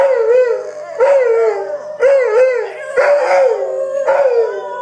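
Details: Dogs howling together in a chorus, wavering tonal howls rising and falling, each voice starting about once a second, overlapping in a steady, continuous sound.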